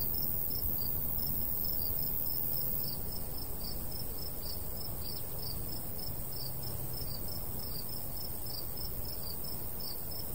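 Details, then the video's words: Crickets chirping in a golden wheat field in summer countryside: steady high chirps repeated about three times a second in a long even train, over a constant low rumble of light breeze. "Countryside/cricket sounds"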